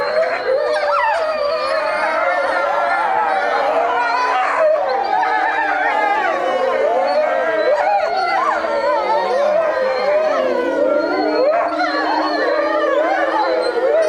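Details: A pack of Eurasian wolves at Tama Zoological Park howls together in overlapping, wavering tones that rise and fall.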